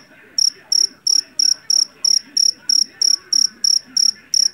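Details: Javanese field cricket from a rice field, known for its loud song, giving bright, high, buzzy chirps of several quick pulses, spaced about a third of a second apart, over a low rumbling background.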